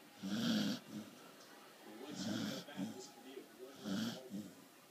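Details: Sleeping corgi snoring. Three raspy breaths repeat roughly every 1.8 seconds, each with a throaty rattle. Faint television sports commentary plays underneath.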